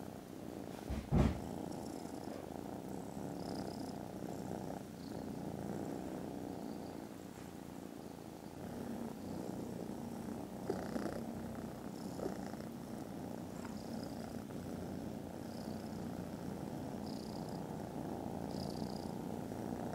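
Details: Loud, continuous purring from contented foster kittens snoozing after lunch, 18th December: a low, throbbing rumble rising and falling slightly, with a sharp thump near the start and faint high squeaks later.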